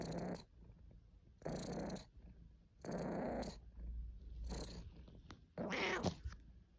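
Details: Caesar von Schwanheim, a domestic cat, purring: deep, rasping purr strokes about a second long repeat with brief breaks, the last ones higher and breathier.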